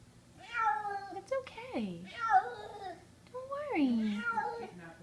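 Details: Male kitten screaming in fear indoors after being carried upstairs, summer 2014: drawn-out harmonic wails sliding steeply downward, three cries in five seconds, with a person speaking soothingly in a small room.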